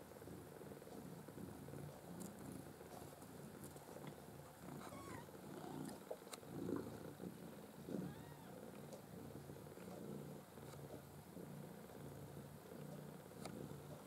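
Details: Maine Coon kittens from a five-kitten black-white and blue-white litter born 6 August 2015 at a breeder's home; soft steady rhythmic purring throughout, with a few faint high, curving mews near the middle and occasional light clicks.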